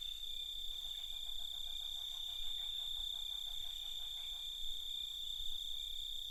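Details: Crickets calling at night, an unbroken shrill high trill layered with a rapid train of pulsed chirps that carries through most of the clip, over a faint low background hum.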